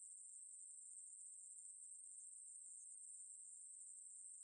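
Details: Continuous high-pitched buzzing song of a Ruspolia katydid, a flat, unwavering drone at steady volume throughout. No other sounds are present.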